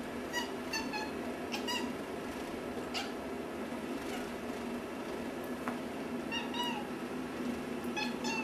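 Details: Pet cat indoors giving short, squeaky, high-pitched meows that its owner likens to dolphin talk. The chirpy calls come singly or in quick pairs at irregular intervals over a steady room hum, followed by a person's praise.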